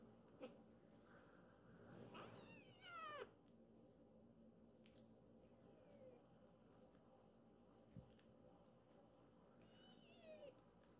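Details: Foster kitten, a rescued baby cat, meows to chase a sibling away from its mother indoors; one short falling meow with a bright harmonic stack, surrounded by low household rumble and soft clicks.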